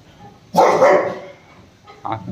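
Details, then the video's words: Angry Rottweiler at home, attacking its owner while a ball is being taken from it: one loud, harsh, deep bark, then a shorter, softer bark about a second and a half later. "Anger of Rottweiler"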